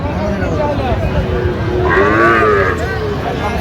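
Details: Sahiwal bull calves at a cattle market in Comilla, Bangladesh, on 27 November: one low, harmonic moo swells and fades midway through, set against steady crowd chatter and men bargaining over prices.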